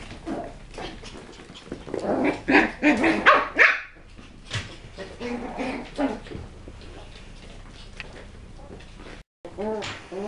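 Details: West Highland White Terrier puppies at a kennel, in a session of tricks and threats, give a run of short, high, harmonic yips and barks, densest in the middle seconds, then a few scattered yaps amid background chatter.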